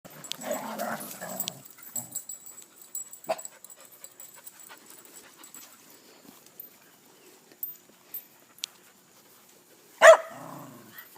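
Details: Dogs at play: a rough, growly burst fills the first second and a half, then quiet with scattered light taps and clicks, and one sharp, loud yelp-like snap near the end.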